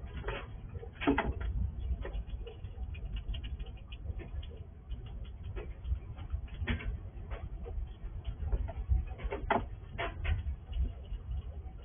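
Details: A wild squirrel visiting a house at night, in the dark, gnawing and crunching food, with sharp irregular clicks and scrapes over a low rumble.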